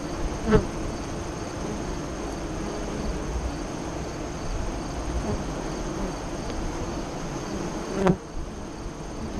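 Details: Honey bees buzzing at a hive entrance five miles east of Lyons, Nebraska, during the 2017 solar eclipse in the afternoon; a steady colony hum, with two individual bees zipping close past, their buzz sharply rising and falling.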